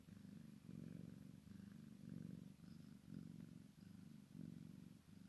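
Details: Maine Coon x Sphynx kitten purring while playing with its mother; a low, steady rumbling purr in rhythmic pulses, swelling and fading about once a second as breaths cycle.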